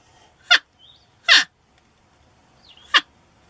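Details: Three brief, piercing porcupine squeals with falling tails, separated by short pauses. Faint thin whistled notes sound between them over a low background murmur.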